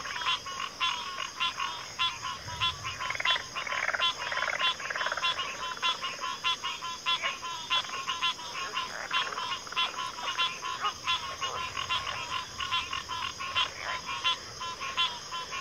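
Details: Dense frog chorus in backwater, pig frogs and water frogs mixed, with many overlapping grating, pulsed calls running together continuously while a high insect whine persists throughout.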